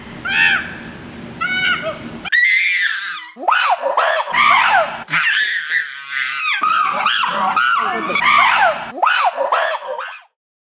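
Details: Screaming chimpanzees with a baby: a few short harmonic yelps, then a long chaotic run of loud, harsh, overlapping arched screams of rising and falling pitch, ending abruptly.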